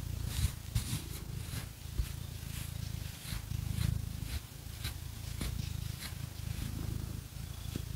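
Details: Pet cat Phoenix purring during a scratching massage with fake nails indoors; a deep, even rumbling purr runs throughout, overlaid by crisp, rhythmic scratching sounds of nails on fur.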